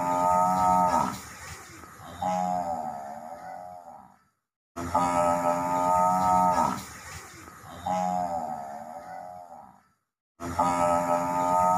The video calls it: ম‌হি‌ষের ডাক l Buffalo sound effect l Mohisher Dak l